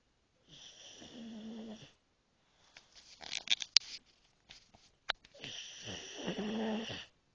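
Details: Jake, a pug, snoring hard while falling asleep in his crate after a long day: two long raspy breaths with a low buzzing rattle, separated by a stretch of short clicks and snuffles, quiet indoor setting.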